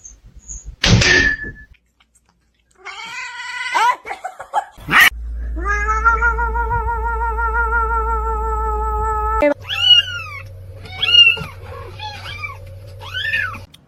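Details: Domestic cat caterwauling: a long, steady, harmonic wail held for several seconds, then a series of sharp rising-falling yowls, with people laughing and screaming, a thud and background music.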